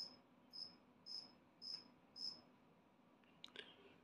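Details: Two-spotted cricket, a newly emerged adult, giving five evenly spaced high, shrill chirps about half a second apart. A short rustling noise follows near the end.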